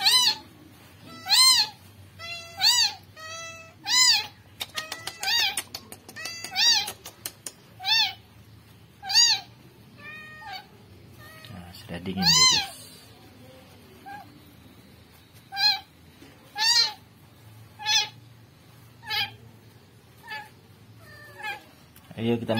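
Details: Rescued kitten meowing persistently, rapid high cries at first then spaced calls about every second, interrupted by a burst of sharp clicking taps and a brief rustling thud near the middle.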